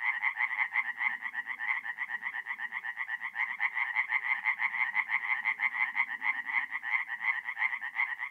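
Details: Night chorus of tree frogs at a forest pond in North-East Italy, mid-April: rapid rhythmic nasal croaks in steady pulsing trains, several callers overlapping continuously throughout, with faint low rumbling underneath.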